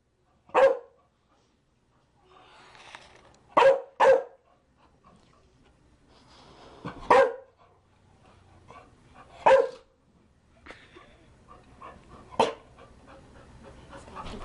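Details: Sporadic barking from a Chow Chow: six sharp barks across fourteen seconds, one quick double bark near the start, with softer low murmuring and background noise between them.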